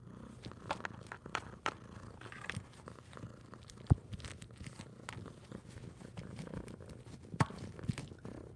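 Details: Orange cat giving a low continuous purr indoors, partly covered by scattered clicks, taps and rustling from movement nearby.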